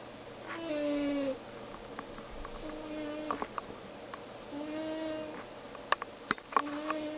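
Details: Pet cat named Velcro snoring while asleep indoors, quiet and close. Soft tonal snores with drawn-out harmonic bands recur about every two seconds, and a few sharp clicks break in near the end.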